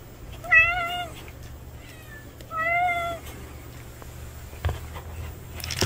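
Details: Two drawn-out meows come from a male cat seen for the first time, about two seconds apart. Each rises slightly and then falls, with rich harmonics. A faint chirp falls between them, and a soft low hum runs underneath.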